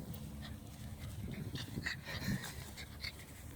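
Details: Jack Russell Terrier puppy rolling and sliding in grass after being washed down, breathing in quick rough pants with snuffling and rustling against the grass, low outdoor rumble underneath, a person's voice briefly near the start.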